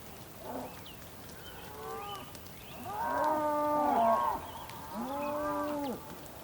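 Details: Rainy-day bull calls from the Patagonian plain, Tierra del Fuego, Argentina: drawn-out, deep, harmonic bellows, one long and one shorter, over a soft background with faint higher sounds.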